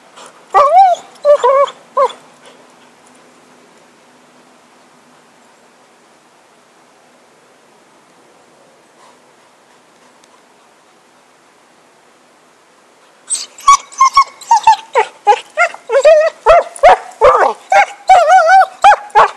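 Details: Stick-play session with the dog Happy: a short burst of pitched whining yelps, about ten seconds of near silence, then a rapid, excited string of whines and yips to the end.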